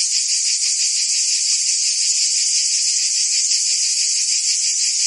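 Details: Summer chorus of cicadas in Provence, France, a continuous shrill buzz held at an even level throughout, faintly pulsed, filling the upper range with nothing else audible.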